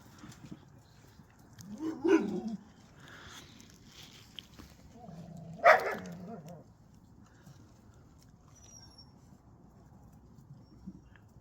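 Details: Relaxed puppies at home give two short, harsh vocal bursts about three and a half seconds apart, the second louder and brighter, separated by quiet stretches with a faint low hum.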